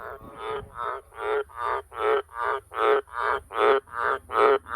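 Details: Wild Australian green tree frog calling loudly at close range near farm sheds and cattle water troughs at night: a rhythmic series of about eleven deep, rasping croaks, each short and evenly spaced, building slightly in strength, with quiet background.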